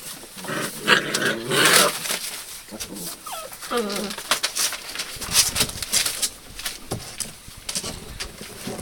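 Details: Hound puppies recorded 02/08/12, giving high, tonal whines and yelps that slide downward, clustered in the first half with a louder burst near the start, over steady rustling, tapping and clicking movement noise.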